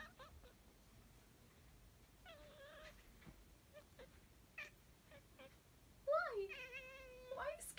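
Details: Louis, a Siamese cat who likes to sing and talk, gives two drawn-out, rich harmonic meows indoors: a short wavering one after two seconds and a longer, louder, bending cry near the end, with faint clicks and quiet sounds between.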